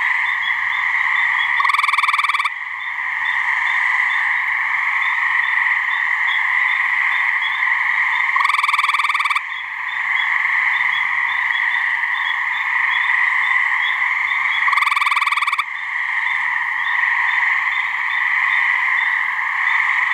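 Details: Mating calls of gray treefrogs in a swamp in New Hampshire: three short, harsh pulsed trills come roughly every six to seven seconds over a constant, droning trill chorus.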